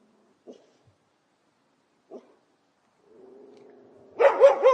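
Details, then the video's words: Angry fenced-in dog. Two faint short sounds come first, then a low, steady growl for about a second, breaking into rapid loud barks at the end. "Dog Barking"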